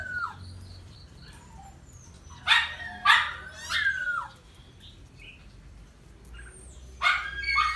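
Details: Red Miniature Pinscher with a pink nose at mating time gives a few sharp, bright yelps and a short falling whine between stretches of near quiet over a soft low background hum.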